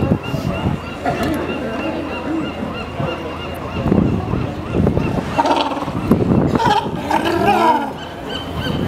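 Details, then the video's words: Sea lions at Pier 39 calling in overlapping, honking barks of varied pitch that rise and fall over a steady background hum, several animals heard at once. "Pier 39 Sea Lions"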